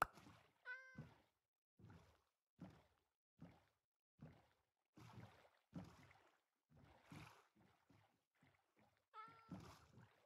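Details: Persian cat arriving in Hanoi, Vietnam after hours of travel, giving two short tonal meows, one near the start and one near the end, between regular soft thumping and rustling sounds.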